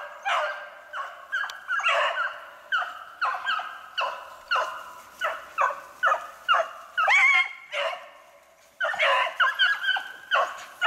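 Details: Beagles hunting snowshoe hare, recorded 3/8/16: a pack bays in quick, overlapping bursts of harmonic barks and yelps, nearly continuous, with one short lull before the chorus resumes.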